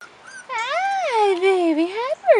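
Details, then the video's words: Rottweiler puppy, 4.5 weeks old, outside for the first time: one long, wavering whine of about one and a half seconds that rises, sags and lifts again, richly harmonic, with a short squeak at the end. "Rottweiler Puppies 4.5 Weeks"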